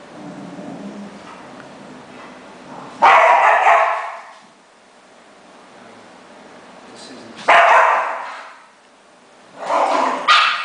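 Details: Chihuahua-Dachshund mix with only two legs, living with other cart-using dogs, roughhousing with a paralyzed pitbull. Loud, rasping growly bursts about a second long come every four to five seconds, with quiet scuffling between them.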